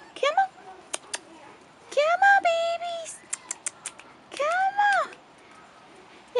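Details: Rottweiler puppies, 4.5 weeks old and newly outdoors, let out arched whines that swell and fade in two clear bouts, with clicking sounds and a coaxing human voice around them.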